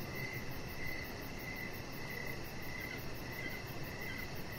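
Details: Crickets in the evening outside on a deck give repeated mid-pitched chirps, spaced a little under a second apart, accompanied by a faint, very high, quick pulsing and low background noise.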